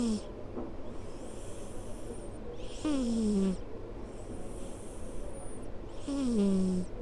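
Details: A cat kept as a company's office cat snores while asleep on a person's lap, each slow breath carrying a thin, wheezy whistle that slides downward, with about two such breaths in seven seconds over a low steady rumble.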